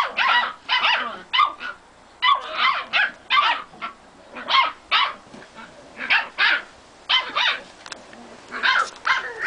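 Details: Three male Staffordshire bull terrier puppies, seven weeks old, playing around in a garden. They give high-pitched yapping barks and yips in quick bursts, about two dozen over nine seconds.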